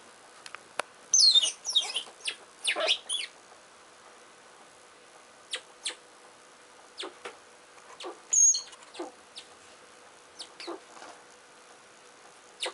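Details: Richardson's ground squirrels fighting while digging: brief high, thin squeaks near the start and again midway, amid sharp scratching and soil-scraping clicks from the digging.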